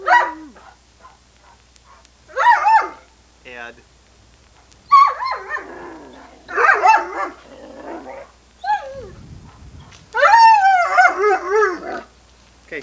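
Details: Sunny, a chatty female Irish Setter from 1987 VHS footage with her father Ed, 'talks' back in a run of about six moaning, up-and-down whiny yowls, the last long and wavering, mixed with a person's encouraging voice.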